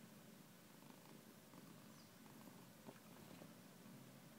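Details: Low rhythmic purring from a house cat, continuous and close, with a small knock just before three seconds and quiet background hiss.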